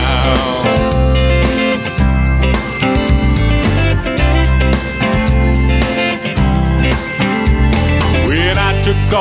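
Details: Only music is heard, a full band with guitar and singing, with no animal sound.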